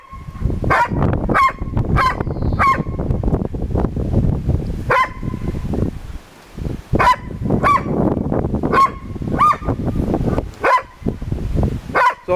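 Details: Mona, a dog, barking at other dogs: short, sharp barks in quick pairs and singles, about a dozen over twelve seconds with irregular gaps, over a steady low rumbling background noise.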